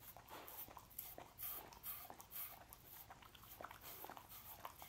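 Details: Pet dog eating sausages indoors, with quiet wet smacking and crunchy chewing clicks repeating irregularly several times a second, plus a faint whimper-like tone in the background of a small room.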